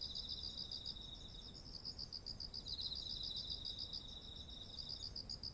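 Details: Crickets and other autumn insects singing beside heavy rice ears, recorded with a ZOOM H1essential; a dense, fast pulsing trill runs the whole time, layered with a second trill and a steady piercing high tone.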